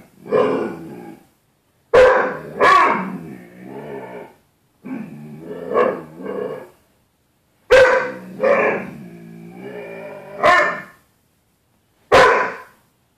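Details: Indoors on 4.4.13, the dog Bruce Wayne answers his mirrored 'other dog' in a closet door with grumbling, growl-tinged barks and drawn-out vocal moans, about ten bursts a minute, separated by short silences.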